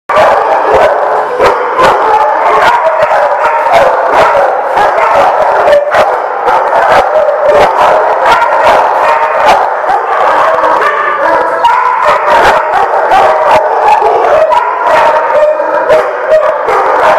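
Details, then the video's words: Many dogs barking together, recorded 19 February 2016 at The Barking Lot; a loud, unbroken wall of overlapping barks and yaps, with sharp individual barks punching through the chorus throughout. "The Barking Lot"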